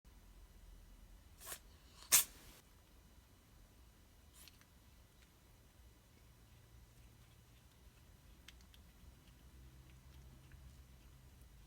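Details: A Bengal cat, while playing with a string of lights, gives a couple of sharp, breathy sneezes in a quiet room.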